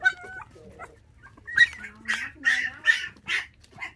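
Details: Five-puppy litter left motherless at six days old and raised on bottled milk; a thin tonal whine opens, followed by a run of short nasal yelps roughly every half second.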